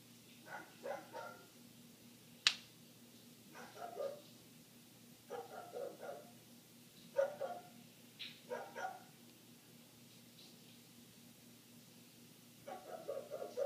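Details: A neighbour's dog barking nonstop for eight minutes, heard indoors through closed windows: rough, mid-pitched barks in short clusters, roughly every one to two seconds, with one sharp bang near the start and a steady low hum underneath.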